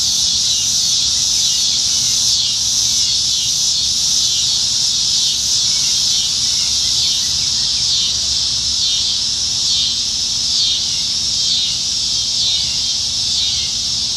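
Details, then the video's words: Summer evening cicada chorus from the trees in Nebraska, July 2019, with cicadas plentiful: a continuous shrill buzzing wall of sound that holds steady throughout, with faint rhythmic swells. "Summertime Evenings in Nebraska - Cicadas"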